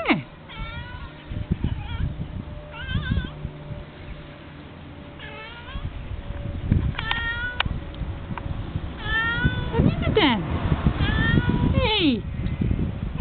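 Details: Young male pet cat meowing for attention: a series of rising-then-falling, wavering meows repeated every second or two, sometimes in quick doubled bursts, while a woman talks softly in the background.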